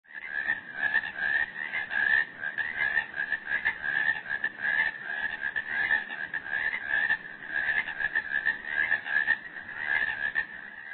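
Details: Toads in a pond calling in a dense, unbroken chorus of fast, pulsing, rattling trills, many voices overlapping at a steady mid pitch for the whole stretch, loudness swelling and dipping slightly.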